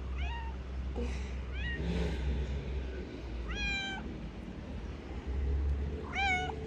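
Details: Affectionate male street cat gives four clear meows, each a short rising-then-falling whine; the later two are longer and louder, spaced a couple of seconds apart, over a constant low outdoor rumble.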